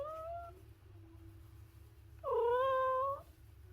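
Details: A short, faint meow from a cat, then a quiet gap, then a louder, steady meow held for about a second, over a low indoor hum.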